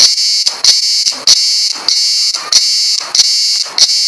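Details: A cicada on Güvercinada island, Kuşadası, gives a shrill, unbroken buzz that rings high and steady, with soft clicks breaking through about every half second.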